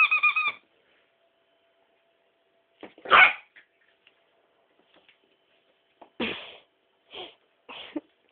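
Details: Female Miniature Pinscher barking at a toy: a whiny harmonic yelp, then scattered sharp single barks with long pauses between them, a quick pair near the end.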